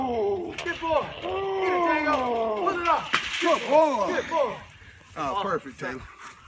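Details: A 19-month-old male Rottweiler protecting his backyard barks in deep, arching bursts, warning off an intruder.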